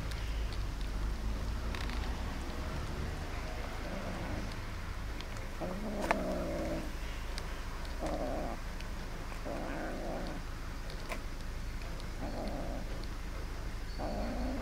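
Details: Greedy black kitten, one of three hungry kittens, making repeated low growling bursts while eating, each lasting about a second, over a steady low hum; a person says stop.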